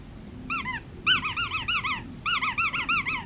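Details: Black tri male Australian Shepherd puppy from Fifteen Acre Farms, being held and cuddled indoors, gives a run of high, squeaky whimpers. About fourteen short arched notes rise and fall, mostly in quick pairs and triplets, over faint room noise.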